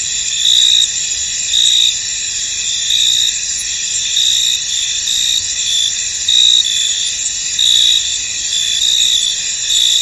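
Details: A foggy field full of crickets. A continuous high-pitched insect chorus carries louder chirping bursts that come back unevenly about once a second.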